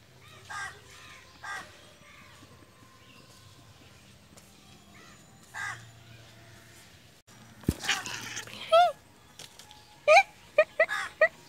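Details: Angry father cat reacting to having its tail touched: faint harmonic calls early on, then a sudden broad hissing burst followed by several short, sharp, rising-and-falling yowls near the end.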